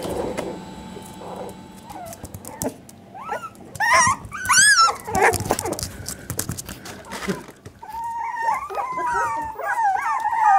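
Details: Parson Jack Russell Terrier litter, three and a half weeks old, indoors; several pups give thin arched squeals and yelps, then a longer wavering whine near the end, with rustling and scuffling throughout.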